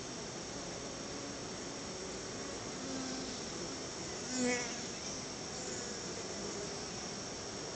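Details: Honey bees at their hive, gifted store-bought honey as a treat by their keeper, with many bees coming out to meet the visitor; a steady dense hum fills the air, and one bee buzzes loudly past at mid-clip.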